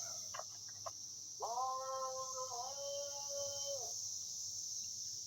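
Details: Cicadas calling together as a constant, high-pitched, unbroken drone that holds steady throughout, while a lower, sustained harmonic tone rises in the middle and brief faint clicks and voice-like sounds come at the start.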